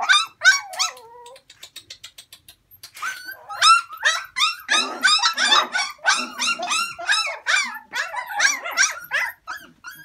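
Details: Several dogs kept for sale, listed as Alaskan Malamute, Samoyed, Chow Chow, Malinois and Pekingese-Japanese Chin mixes, yelping and whining together, with a brief soft whimper early, then rapid high yips about three per second, overlapping and steady.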